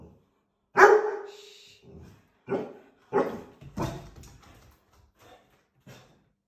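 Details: Two dogs, a young male Chinook (born February 2021) and a female Labrador Retriever, bark at a squirrel on the roof in Scotland, 8 July 2021: loud, deep barks in short bursts with quieter follow-up woofs.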